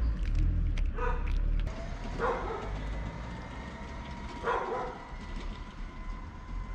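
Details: Tabby cat with a booming, guttural voice gives three drawn-out, harmonic meows spaced about a second or more apart, partly masked by a steady low rumble and background hum.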